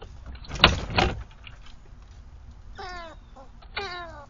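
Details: Squirrel giving a predator call on Nov 27, 2022: two thumps, then two short harsh cries about a second apart, each with a stack of downward-sliding harmonic bands.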